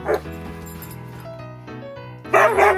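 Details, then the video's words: Siberian Husky dog, male, excitedly dancing on a bed and attacking a poop pillow on St. Patrick's Day morning 2021; a brief yelp at the start, then a louder warbling burst near the end, with music playing throughout. "Talking Husky"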